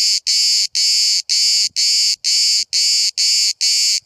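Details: Close-range cicada at Bodrum, Turkey, recorded from roughly 5 cm while hundreds chirp through the day; strident high buzzy bursts about twice a second, each around a third of a second long, separated by short gaps.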